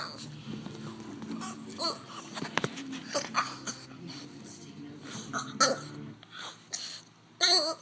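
A French bulldog makes odd, warbling grumbles and whines that sound almost like babbling speech.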